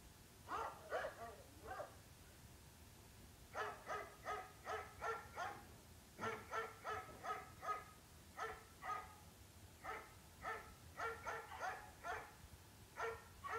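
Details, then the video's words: Barking dog in repeated volleys of three to six quick, sharp barks with short gaps between groups, steady low background noise throughout. "Dog, sounds of dogs"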